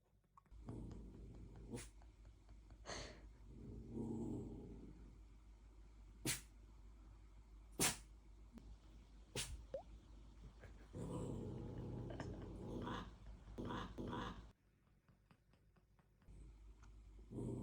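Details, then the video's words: A puppy barks as if sneezing. It gives sharp, explosive, sneeze-like huffs spaced a second or two apart. Softer breathy snuffling and rustling fill the gaps indoors. "재채기하듯 짖는 강아지"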